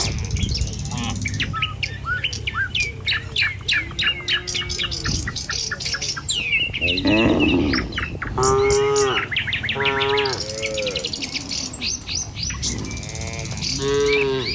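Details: Tame cattle moving in a line down a village road one morning, heading to a field for food. Dense bird chirping fills the first half, then several arched moos come in short succession.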